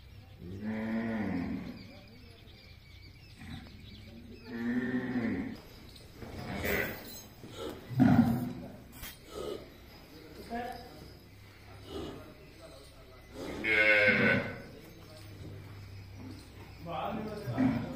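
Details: Cattle kept at a gaushala in Jhunjhunu, India, mooing several times at uneven intervals, some calls hoarse and rough, with clatter and other farm noises in between.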